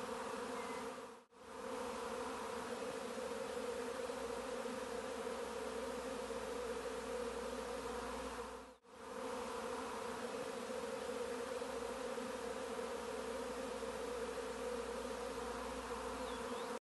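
A dense, steady hum of many bees buzzing together, droning low and unbroken apart from two brief dropouts.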